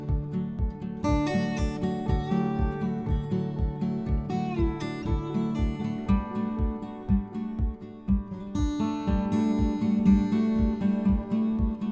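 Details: Strummed acoustic guitar music plays with a steady rhythm throughout, and no animal voices are heard.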